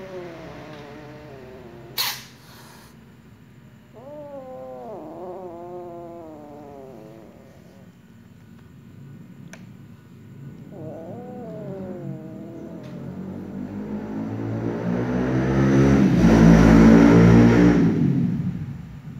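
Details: Jealous black female cat targeting a playing little ginger cat, giving drawn-out wavering yowls in three bouts, the last swelling into a loud harsh growling wail; a sharp click early on.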